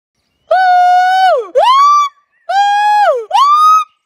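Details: A golden snub-nosed monkey gives loud, tonal two-part calls: a level note that drops, then a rising note.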